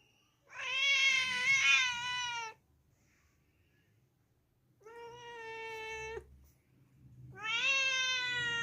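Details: Domestic cat meowing indoors: three drawn-out, nasal meows, the first about two seconds long and slightly wavering, the next two steadier and rising at the start, separated by quiet pauses with low background hum.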